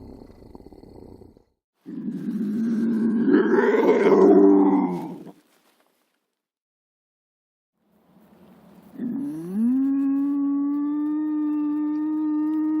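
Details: Lynx giving a rough, throaty growling call for about three seconds, then after a pause a long, steady, drawn-out yowl with a strong tonal core that holds level to the end.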